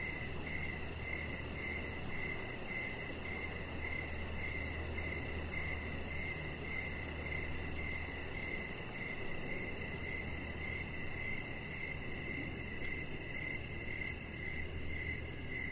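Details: Crickets heard outdoors in the evening by a deck lit with decoration lights, a chihuahua lying there; an even train of high chirps runs throughout, backed by a steady low hum and faint shimmering insect buzz.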